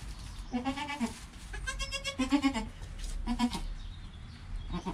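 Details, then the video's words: Domestic goat kid Joel in the first hour after birth, mother Penny nearby: three wavering, harmonic bleats, the middle one longest, over faint rustling. "Baby Goat - One Hour Sound and Video"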